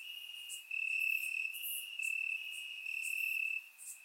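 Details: On a warm summer night in Bulgaria, crickets chirp in the grass: a bright, steady trill running in long bursts of about a second, with faint higher chirps from other crickets behind.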